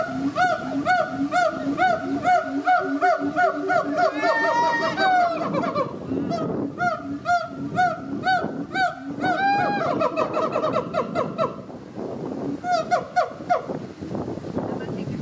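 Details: A Siamang family at a Florida zoo, mother, father and baby daughter, call loudly in booming duets with inflated throat sacs, rapid honking barks and rising whoops repeated in bursts, calls that strengthen the pair bond.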